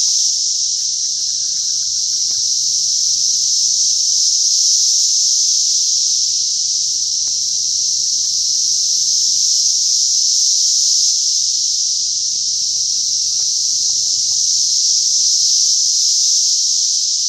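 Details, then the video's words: Cicadas in Oklahoma in mid-June fill the air with a loud, steady, high-pitched buzzing drone that never lets up. "Locusts loud noise(oklahoma style)"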